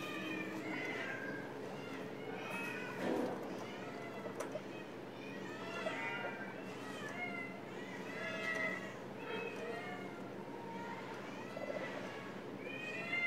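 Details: Baby guinea pigs just 11 days old, born at an animal shelter to a pregnant stray mother, giving many high arched whistled weet calls, overlapping and repeated in rapid rising-falling series with faint background hum.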